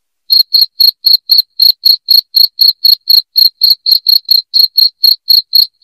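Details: A cricket chirps loudly and steadily, played to repel rats in the house; after a short silence, crisp high-pitched pulses follow one another roughly four times a second.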